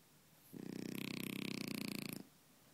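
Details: Sophie, a French Bulldog asleep on the sofa, gives a loud, buzzing snore, a fast throaty fluttering rattle sustained through one long drawn-in breath, then stops abruptly, leaving quiet room hiss.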